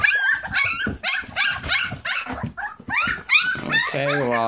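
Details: English Springer Spaniel puppies eating puppy mash, giving a rapid run of high, arching whines and yelps, several a second, with overlapping callers; a woman talks softly nearby and a steady tone rises at the end.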